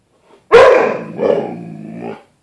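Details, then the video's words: Pet dog Bruce Wayne confronts his reflection in a glass closet door: one forceful bark that stretches into a drawn-out, wavering howl-like growl lasting nearly two seconds, with nothing else audible. "Bruce Wayne discussion with other dog"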